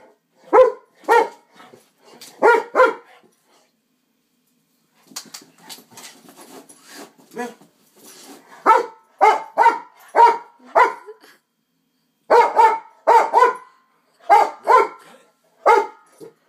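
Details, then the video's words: Dog named Moo Cow barking at a glowing LED hula hoop: sharp barks in pairs and short bursts, a quiet gap near the middle, then a steady run of loud repeated barks with faint softer yips between. "Moo cow barks @ astral hoop"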